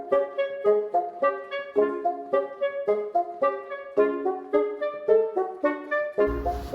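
Only music plays, a mellow woodwind-and-horn melody in short phrases that ends with a brief rustling noise, and no animal can be heard.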